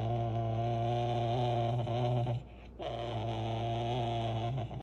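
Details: Serval making a sustained low, tonal moaning roar that holds a steady pitch, breaks off for a short moment, then resumes just as evenly.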